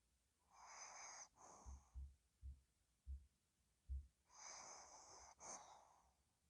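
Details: Ddochi the dog sleeping and snoring: two long, breathy, hissing snores with a whistling edge, about three seconds apart. Soft low thumps fall between them.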